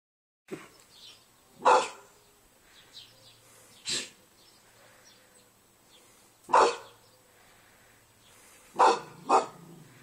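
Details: English bull terrier named Brian barking at home, filmed on an Android phone: five short, loud, harsh barks spaced irregularly over ten seconds, the last two close together, with quiet pauses between them and faint low background hum.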